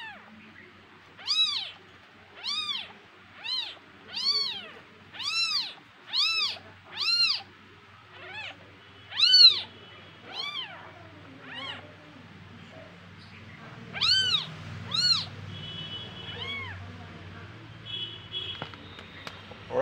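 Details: House kittens from a litter of three, fighting among themselves and calling: a regular series of clear, arching meows about one per second, around a dozen, pausing midway before a few more, over a soft low hum.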